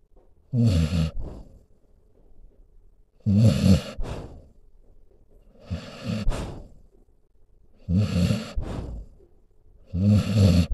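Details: A sleeping dog snores in a steady cycle, each harsh, low rumbling inhale followed by a brief breathy exhale, repeating about every two and a half seconds, recorded indoors.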